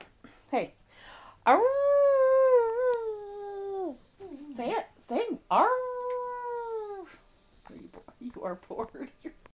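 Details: Dachshund howling indoors with a woman speaking to it: two long sustained, slightly quavering tones, each starting sharply and sagging at the end, separated by yips, then fading into soft whines.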